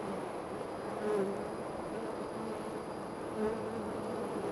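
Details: Honey bees at a hive about 25 to 30 ft up a tree outside a back door make a dense, steady buzzing hum with a low drone.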